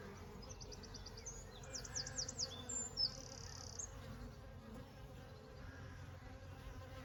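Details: Honey bees in summer: a steady low, droning hum runs throughout, with a brief burst of high, chirping sounds between two and three seconds.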